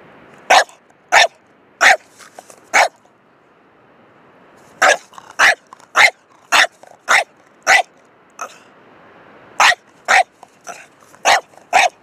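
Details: Dog barking in short, sharp bursts: four quick barks, a pause of about two seconds, then a long run of roughly a dozen evenly spaced barks, each a brief broadband yelp with faint growly noise between.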